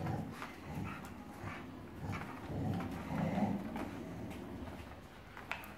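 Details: During a tug-of-war game between dogs Anastasia and Alexei, a steady low growl rumbles on for several seconds, swelling slightly in the middle, with light tapping and scraping noises over it.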